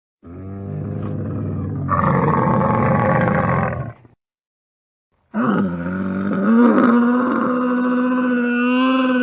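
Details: Camel calls recorded while feeding: a long, harsh, droning groan with a low rumbling base, rising into a strained, roaring moan after two seconds, then a pause and a second sustained, wavering bellow.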